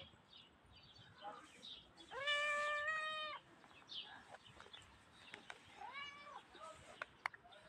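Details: Tiny grey cat giving one loud, sustained meow lasting over a second, later answered by a fainter, shorter meow, with light clicks and room noise between.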